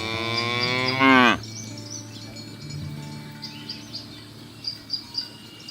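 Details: Single short, rising moo from a cow in a herd being driven through a rice field ditch to the pen, followed by quiet countryside with soft bird chirps and insect-like ticks.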